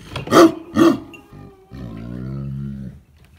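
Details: Tibetan Mastiff giving two loud, deep barks in quick succession, followed after a brief pause by a low, drawn-out groaning growl lasting over a second.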